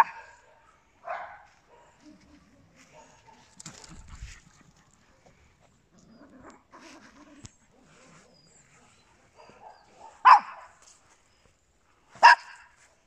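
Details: Small dogs, Papillons with a Yorkshire Terrier, indoors: scattered short yaps with long gaps, faint shuffling and rustling between, and two sharp high barks close together near the end.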